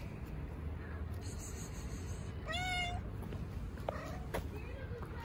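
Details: Stray cat among a group gathered around a volunteer petting a tuxedo cat in a park, likely Istanbul. A single clear, slightly wavering meow near the middle, then fainter short mews, with soft speech and low background rumble.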